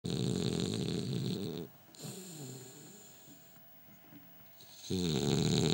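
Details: Gilbert, a French Bulldog, snoring while asleep with his eyes open. A loud, rasping, low-pitched snore runs for nearly two seconds. Quieter, softer breathing follows, then another heavy snore resumes near the end. Recorded indoors.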